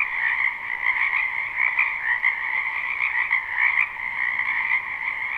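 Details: A spring wetland chorus of frogs, recorded live without looping, hums unbroken: countless overlapping croaks merge into a steady two-toned drone, the upper band bright and trilling, with small surges in loudness and a single sharp tick late on.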